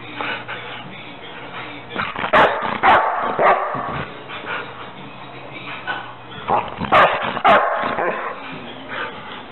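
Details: Rottweiler in a funny home compilation giving sharp barks and whimpering yelps, clustered bursts near the start and again toward the end, over a low steady hum with a person talking.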